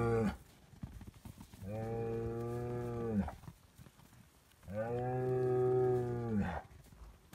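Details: Noisy Highland cattle bull on a Finnish farm, fed bread, gives two long, rich moos about three seconds apart, each a steady harmonic drone ending with a brief upward lift.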